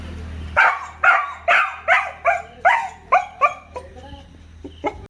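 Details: A dog barks repeatedly, with strong, clear barks about twice a second that fade into softer, shorter ones, and a low hum underneath.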